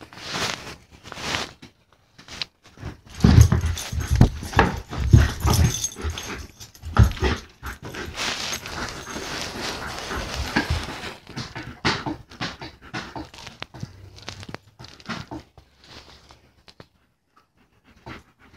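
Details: German Shepherd during play indoors, heavy breathing and panting with a few soft whimpers and rustling movement, busiest in the middle, then quieter breaths toward the end.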